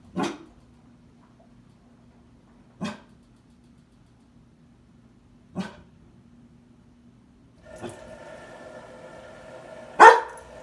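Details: A 2-year-old female standard poodle, returned to her breeder and still warming up to her new owners, gives single sharp barks every two to three seconds at a new LG appliance over a steady electrical hum.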